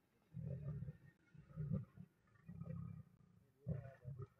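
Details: Lionesses near a river in the Masai Mara facing a Nile crocodile that tries to steal their meal; low, rumbling growls in short pulses, roughly one per second, fairly quiet.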